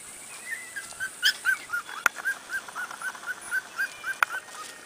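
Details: Corgi puppies outside for the first time, giving a run of high, short whimpering squeals repeated roughly every quarter second, each slightly arched in pitch, with a couple of sharp clicks and a steady background hiss.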